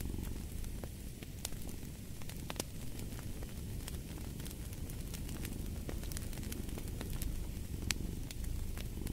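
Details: Deep rumbling purr of a cat, steady and unbroken, mixed with a hiss of fire and bright, irregular crackling pops from burning wood.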